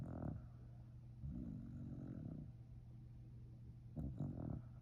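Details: Sleeping Shiba Inu snoring indoors: low rumbling breaths, a rough drawn-out inhale near the start, another around the middle, and a louder snort-like breath toward the end, with a steady low hum behind.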